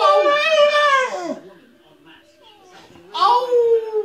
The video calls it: Billy the singing Bull Terrier